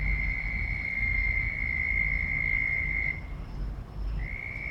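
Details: Very loud frog calling: a long, unbroken high trill at a constant pitch lasts about three seconds, fades, then starts again after a short pause, over a steady low rumble.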